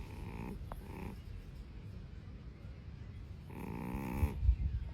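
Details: A cat snoring in two soft, buzzy breaths about three seconds apart. A few low thumps come near the end.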